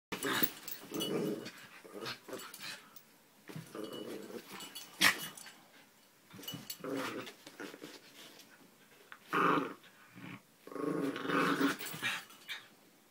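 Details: Two grey dogs indoors trade low rumbling growls in uneven bursts, the rumbles swelling and fading over about thirteen seconds with short sharp gaps between them.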